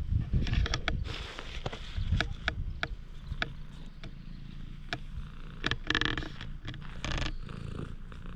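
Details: Parking-lot stray cat opening up to a person, captured with a GoPro HERO8: continuous deep purr underlying a series of crisp clicks and taps, with a few louder brushing sounds near the end.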